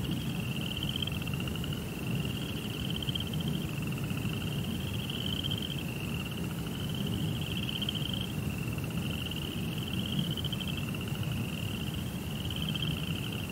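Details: Night crickets in a Zen garden beside a koi pond sing a continuous high-pitched pulsing trill, grouped in roughly one-second runs that follow each other closely, over steady deep murmuring noise.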